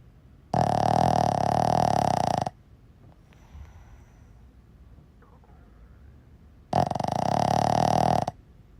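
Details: Sleeping Boston Terrier, nicknamed a seal dog, snoring: two long, rasping, buzzy snores of about two seconds each, roughly six seconds apart, with near silence and faint breathing between.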